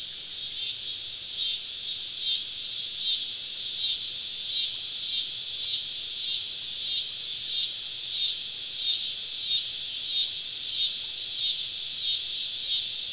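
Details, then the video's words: Many cicadas all around a camp deep in the woods on a southern summer evening; a loud, shrill, buzzing chorus that pulses regularly, roughly every 0.7 seconds, over a constant high drone. "Southern Evening Summer Cicada Symphony"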